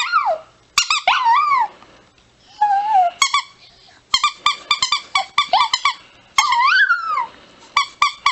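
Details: Chihuahua letting out fast strings of shrill yaps interrupted by short rising and falling howled notes, busy and excited throughout.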